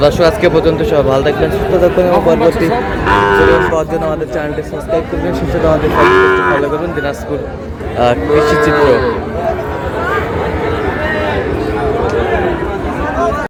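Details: Sahiwal cattle, bulls and heifer calves bought by a Barisal farmer on 19 August, mooing at a market: several drawn-out, harmonic moos near three, six and nine seconds, with rising and falling tones over steady crowd chatter and background noise.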